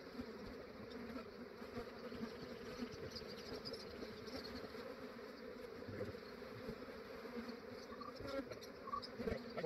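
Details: Massive honey bee swarm in Australia, collected by a beekeeper early in the morning before the day warmed up and the bees grew active; a steady low droning hum of many bees throughout, with faint scattered clicks and handling noise.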